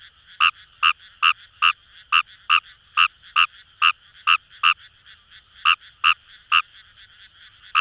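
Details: Paddy-field calling of Fejervarya kawamurai at Itoshima, Fukuoka, Japan; crisp croaks repeated a little over once per second, pausing briefly near the middle before resuming, against a low hum of distant frogs.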